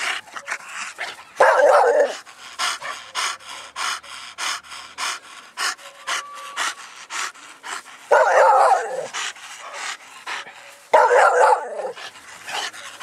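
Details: Mastiff family dogs, including English bulldog, bull terrier and American bully, panting steadily with rapid breathy puffs, broken by three louder, harsher snorting breaths spaced several seconds apart.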